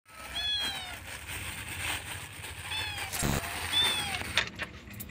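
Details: A kitten in Jakarta watches over its sleeping step-sibling until it wakes. Three short, high mews arch up and then down, near the start, the middle and the end, over steady background noise.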